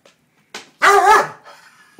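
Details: Pet dog with a kitten playing with its tail. It gives one loud, harmonic bark of about half a second, with a rising-then-falling pitch, after a short softer sound. Otherwise quiet.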